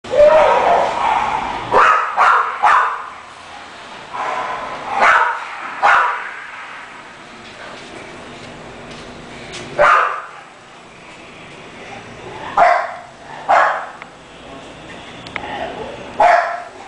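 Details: French Bulldog barking in scattered short bursts, with quiet gaps between groups of two or three yappy barks across the recording.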